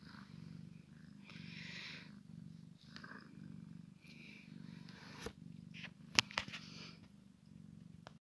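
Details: Soft continuous purr of a Maine Coon x Sphynx cat while a kitten plays with mama, accompanied by rustling, handling noises and several sharp clicks toward the end.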